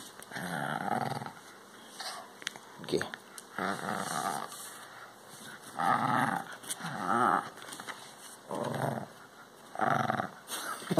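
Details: A playful Maltese Shih Tzu growls in short bursts of about a second while playing tug of war indoors, with pauses between bouts; a steady high tone runs throughout.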